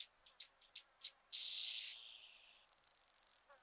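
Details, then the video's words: Grasshopper or cricket song: a few short high buzzy pulses, then a loud, sustained hissing buzz lasting about a second that fades into a softer rapid rattle. "Orthoptera sounds"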